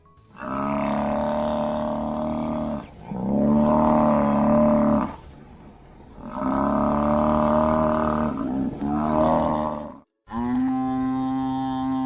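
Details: Water buffalo giving long, drawn-out, deep moaning bellows, each lasting two to three seconds with a steady rich tone. Four calls come in a row, separated by short pauses.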